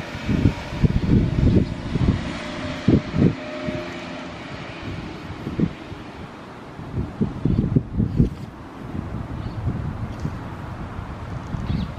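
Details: Gusty wind buffets the microphone in rumbling low bursts on a sunny outing with a pug in Saitama, Japan, and no animal voice can be heard.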